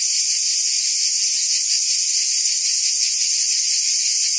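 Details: Continuous shrill buzzing of many cicadas in the French Provence summer, a uniform high hiss holding the same level throughout, with no other clear sounds.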